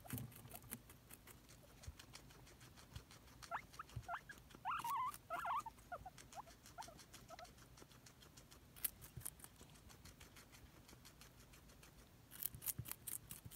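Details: Two pet guinea pigs munch crunchy celery with steady rustling and chewing, while a brief burst of short high squeaks from one hoping for a treat rises in the middle, then fades back to eating noises.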